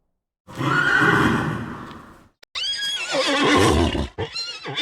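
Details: Horse on a farm: a rough, noisy breathy stretch, then a short gap and a high, quavering whinny with stacked harmonics that falls and breaks into shaky tremolo notes.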